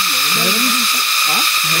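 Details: Crickets in summer along the trail to Tinipak River in Daraitan, Tanay, Rizal, many calling together: a loud, continuous, even buzzing drone with no breaks, while people talk quietly underneath.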